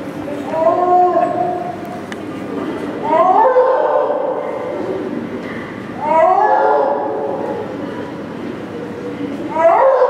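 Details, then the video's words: At Maruyama Zoo on 10 January 2012, a six-year-old male snow leopard calls at length, perhaps as breeding season arrives. Drawn-out, harmonic, yowling cries rise at the start, each about a second long, repeated every three seconds. "ユキヒョウの鳴き声~The cry of Snow Leopard"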